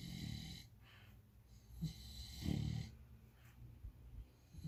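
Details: Dreaming English bulldog puppy asleep indoors gives one short rasping snore midway through, framed by soft, low breathing sounds and faint snuffles.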